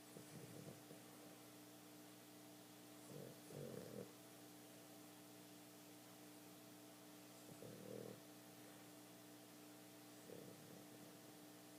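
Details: A female Boston Terrier snores softly in rough, low breaths every three to four seconds while asleep and twitching.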